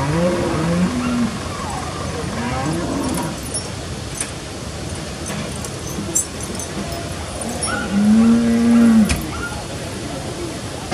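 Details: Cattle, including young calves with protective horn covers, gathered in a parking area after the alpine descent from summer pastures in Appenzell, Switzerland, on 2 September 2016; several low drawn-out moos with harmonics, one strong long moo near the end, over steady background crowd and vehicle noise.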